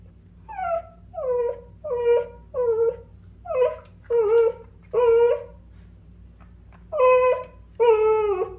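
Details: Dachshund reacting to a puppy stuck beside the air conditioner, indoors: a string of about eleven tonal, falling whines and yelps, each under half a second, coming in uneven bursts with short gaps, a steady low hum underneath.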